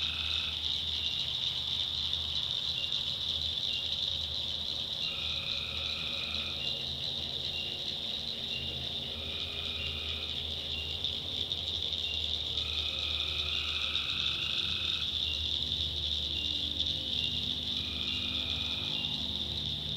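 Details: Tree frogs at night in North Carolina backwoods, calling in separate bursts a few seconds apart, about one to two seconds each, against a steady shrill insect hum and low background rumble.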